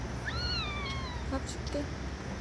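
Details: A street cat in an alley, a talkative one that often meows, gives one clear, drawn-out meow that rises briefly and then slides downward.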